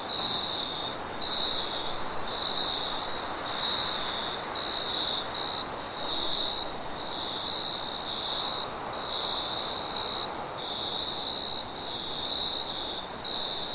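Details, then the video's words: Forest crickets at night producing high, bright pulsed trills at close to one burst per second, while a wind-like hiss flows steadily underneath. "Crickets and wind sounds at night"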